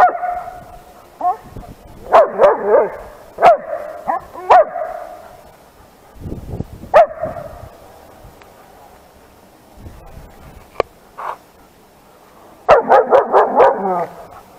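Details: A 10-month-old female long-coat German Shepherd barks in short bursts of deep, harsh barks at other dogs.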